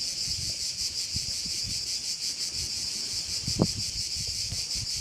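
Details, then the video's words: Chorus of crickets by a bay in Korčula, Croatia, giving a continuous high-pitched rasp that throbs in quick regular beats, over gusty low wind rumble and one brief sharp knock. "Korčula - view of one of the bays in Korcula with sounds of crickets"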